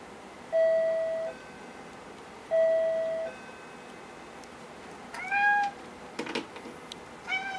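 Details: Domestic Norwegian Forest Cat indoors, meowing after the door chime sounds as its owner returns home, asking for the door to be opened: after two long steady chime tones, a short rising meow, then clatter and another brief cry.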